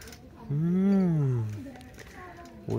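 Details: Feral cat with a single drawn-out meow that rises and then falls over about one second, loud and clear, with brief human voices after it.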